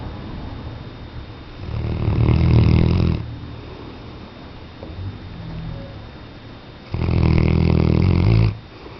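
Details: Weimaraner. A sleeping Weimaraner gives long, low snores, rough and rattling in tone. Each drawn-out breath fades into a quiet pause before the next rumble.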